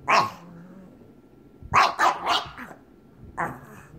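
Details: A pug wanting to play with another pug gives short, sharp barks in irregular bursts, with a growly edge.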